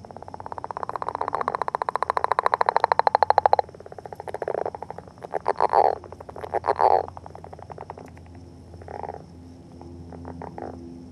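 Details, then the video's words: Northern leopard frog calling beside an egg mass during courtship: a long rattling snore of rapid pulses for about three and a half seconds, then shorter grunting chuckles and croaks, with a steady high hum behind. "Leopard Frog Eggs and Courtship"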